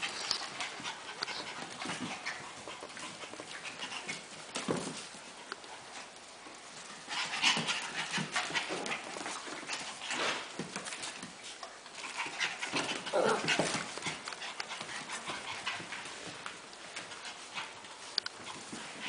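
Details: Havanese puppies panting rapidly and unevenly, a steady airy huffing with occasional faint squeaks and shuffling over the full length.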